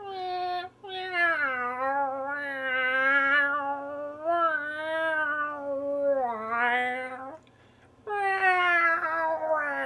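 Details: Responding to harmonica, a cat gives a nearly continuous yowling meow that wavers up and down for about seven seconds, then pauses briefly before a rising meow.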